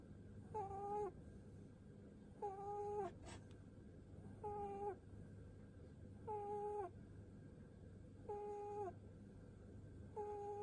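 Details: Pet rabbit, seven years old, giving little pu-pu snore-like breaths while being stroked on the head: evenly spaced tonal notes, flat then falling off at the end, repeated roughly every two seconds against a steady low background hum.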